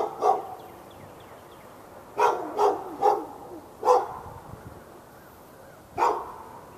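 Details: Backyard dog in Raleigh, North Carolina, barking through a fence at the neighbouring dog on February 15, 2012, part of barking that ran from morning into afternoon; six sharp barks come singly and in a quick run of three, with faint bird chirps.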